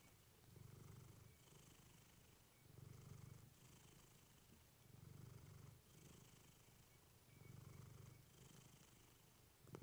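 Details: Steady rumbling purr of a female cat named Clementine, recorded up close with a fluffy microphone; deep surges rise and ebb roughly every two to two and a half seconds, with a faint airy hiss on each breath.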